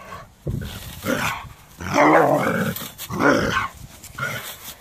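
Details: Doberman reacting to a rake with gruff, growling barks that run into one another, two longer, louder bursts in the middle over a rumbling, noisy background.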